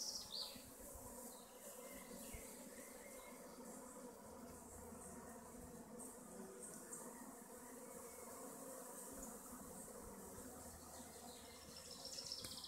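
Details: Honey bee colonies at their hives in the west of Augsburg, a steady dense buzzing hum that runs unbroken throughout, with brief higher hiss and faint rustling near the start and end.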